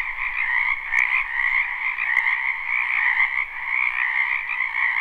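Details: Frogs croaking in a spring wetland behind a house, recorded live at night without looping: a dense, continuous chorus of overlapping trilled calls in two bright bands, steady and unbroken throughout.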